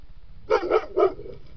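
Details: A Maremma Abruzzese sheepdog guarding its territory gives three quick, deep barks in a row, warning off a wolf.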